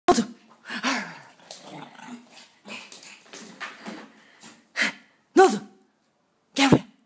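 A Pekingese lets out harsh, yappy barks and growly grumbles, ending in a few sharp, spaced barks.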